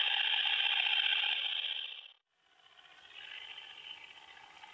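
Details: Short-winged conehead (Conocephalus dorsalis) singing at Hirschau, Germany, on 27 July 2019: a dense, rapidly pulsed buzzing stridulation, steady and loud for about two seconds, breaking off briefly, then resuming more quietly.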